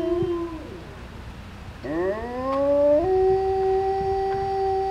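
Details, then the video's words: Wolves howling at a grizzly and wolf encounter in West Yellowstone: long, smooth, sustained tonal howls, one sliding down, then a rising howl that levels into a steady held note, overlapping voices. "howling wolves in west yellowstone"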